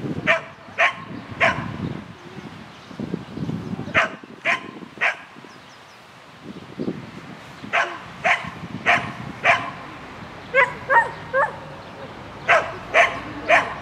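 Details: Shetland Sheepdog running an agility course at a spring 2016 event on 22 May 2016, giving sharp, bright barks in quick bursts, about seventeen in all, grouped in twos and threes with short pauses, over low rumbling background noise.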